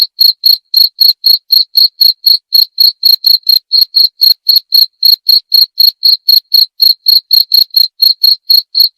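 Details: Continuous cricket calling: bright, piercing chirps repeated roughly four times a second in a slightly uneven rhythm, with no background noise or other animals.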